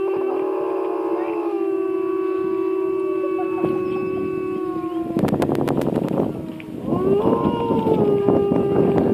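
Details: White wolf howling at Wolfspark Mertzig, recorded on a walk through the park: a long, steady, low drawn-out note held for several seconds, broken by a burst of clattering noise, then resuming slightly higher and sustained to the end.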